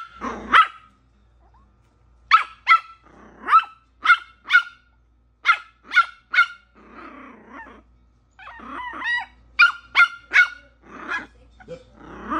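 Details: A Yorkshire Terrier puppy barks at the TV on seeing Rocket Raccoon, giving sharp, high-pitched yapping barks in quick bursts of two or three.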